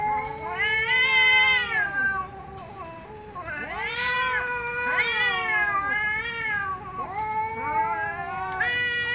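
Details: Angry domestic cat yowling loudly, a run of strained, harmonic wails that rise and fall in quick succession, with a few harsh breaks between calls.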